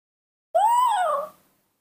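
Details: Begging cry of a newborn monkey asking for milk: a single clear, tonal squeal about a second long that rises slightly then falls away, rich in harmonics, in an otherwise quiet setting.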